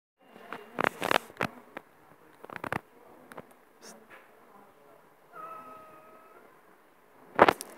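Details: A cat gives one drawn-out, steady-toned meow lasting about a second, preceded by sharp clicks and rustling handling noises, with another loud click closing the recording.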